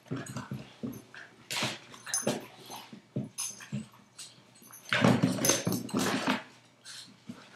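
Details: A 5-month-old Boston terrier and a 2-year-old golden retriever playing together indoors; scuffling, panting and brief grunts and snorts in rapid irregular bursts, with thumps and clatter.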